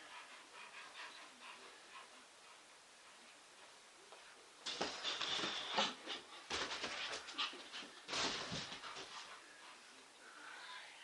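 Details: A male English Bull Terrier playing his favourite game, chase, gives a run of harsh, breathy barks and huffs after a quiet start.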